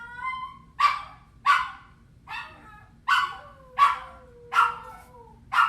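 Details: Lonely puppy left alone, crying in a series of sharp, high yelps roughly every half to one second, with a thin falling whine drawn out between them, over a low steady hum.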